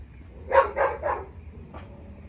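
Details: Pet German Shepherd on leash during obedience training barks three times in a quick, evenly spaced burst, then a fainter fourth bark, with a low background hum.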